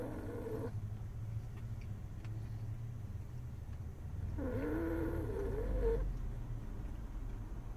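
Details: Male French Bulldog asleep in a truck on a school pickup run, snoring: low rumbling breaths under a steady engine hum, with a wavering nasal tone near the end.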